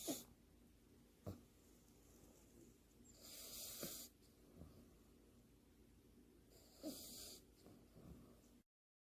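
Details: Pet French Bulldog half-asleep, sprawled on its back with paws held together and eyes open, snoring: soft breathy rasping bursts around four and seven seconds, separated by faint clicks and quiet snuffles in a hushed room.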